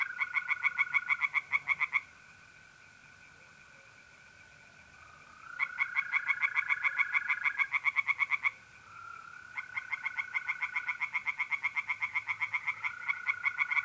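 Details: Pond tree frogs in North-East Italy, mid-April at night, sing in rapid croaking bursts separated by quiet gaps of a few seconds, while mole crickets keep up an unbroken even trill underneath.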